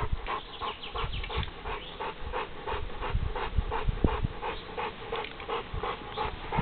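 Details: American Bulldog named Buddy, a dog looking urgently for a new home, breathing in quick, steady pants of roughly three breaths a second over a low rumbling background.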